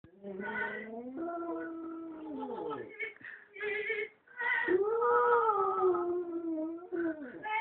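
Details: West Highland White Terrier named Lilo singing opera: long, wavering howled notes that slide up and down in pitch, swelling and fading with brief breaks between them.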